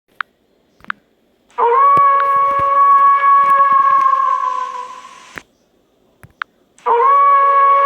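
A wolf gives a long, steady, mournful howl, held on one pitch before fading, then starts another.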